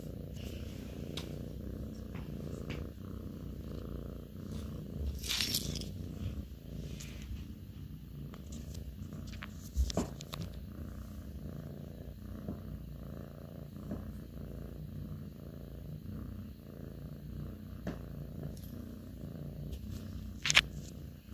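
A Russian Blue cat purrs steadily, a low continuous rumble with a few faint clicks.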